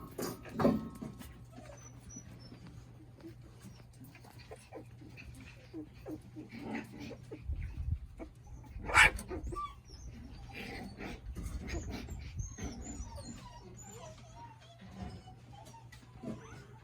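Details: Shiba Inu puppies born on September 23 playing and wrestling together: short high whines and yelps scattered through busy scuffling and rustling, with one sharper yelp midway and a steady low hum underneath.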